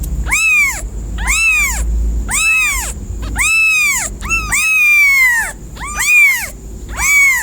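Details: Cat calling loudly with seven long, rich meows, rising then falling, spaced about a second apart, one stretched longer with a slowly dropping tone.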